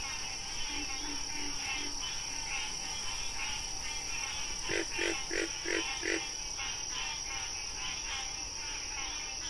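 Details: Wild frog during National Frog Month: faint low croaks early on, then a burst of five loud, grating pulses roughly every third of a second, set against a continuous chorus of rhythmic calls and a steady high hum.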